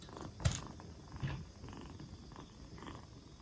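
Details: Black Bombay kitten, two months old and four days after rescue, recovering and no longer coughing; a low purr runs throughout, broken by a sharp knock near the start and a softer thump after one second.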